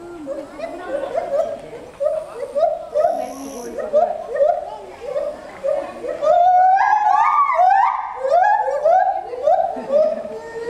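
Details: Gibbon 'opera concert' high up at 14 m in Asahiyama Zoo, Japan, 24 July 2014, captured on a FinePix Real 3D W3S. Hooting notes rise in a rapid, accelerating series, building into louder, upward-swooping wails.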